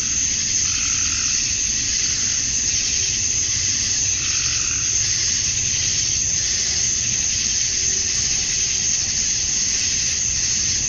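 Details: Georgia, USA summer dusk: many male cicadas produce a steady shrill hissing drone to attract females, with a few softer mid-pitched pulses rising and fading beneath the unbroken chorus.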